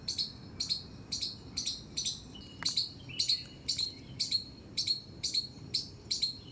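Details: Squirrel in a terrace garden giving sharp, high squeaks in a steady series, about two per second, around thirteen calls in all, each a short clicky chip with a ringing tail, over a faint low background hum.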